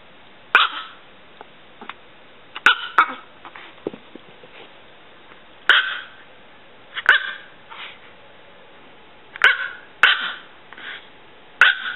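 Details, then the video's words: Pulga, a six-year-old female Chihuahua weighing under 3 pounds, gives sharp high yapping barks, singly or in quick pairs, roughly every two seconds, with quiet pauses between them. "Miniature Chihuahua Barking"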